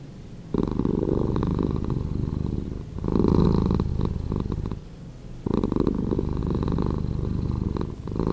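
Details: Domestic cat purring, slowed down: a steady low rumbling purr with long loud phases alternating with quieter breathing pauses, about three cycles across the stretch.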